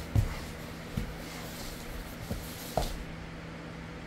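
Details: A quiet indoor room with a low steady hum and four soft knocks or thumps, and no animal voice.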